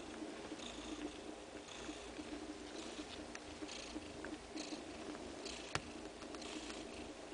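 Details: Nursing mother cat and two-day-old kittens drinking her milk; a quiet, continuous purr pulses rhythmically, with a single sharp tick about two-thirds of the way through.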